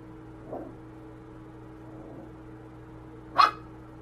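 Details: A corgi lets out one sharp, short bark a little past three seconds. A faint, soft yelp comes earlier, and a steady low hum runs under otherwise quiet surroundings.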